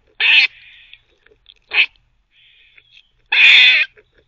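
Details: Teething pet squirrel barking: a harsh bark with a drawn-out softer tail, a short sharp bark, faint thin squeaks, then a long loud grating bark.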